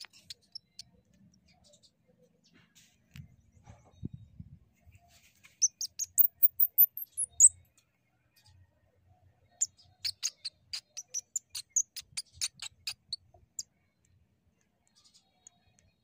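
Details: A young shrew being returned to its mother gives two runs of sharp, high-pitched squeaks, about three to four per second, each note tiny and piercing, in quick bursts of clicky pulses, with soft low handling thumps between bursts.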